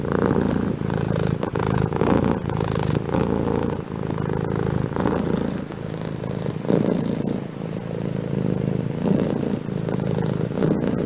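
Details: Continuous low purring from a house cat, a dense rumbling drone that rises and falls with its breathing, punctuated by a few faint clicks, heard at close range.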